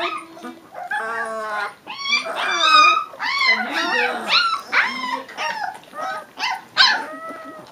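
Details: A chorus of three-week-old Leonberger puppies whimpering and whining, with overlapping, wavering, high-pitched cries that rise and fall continuously.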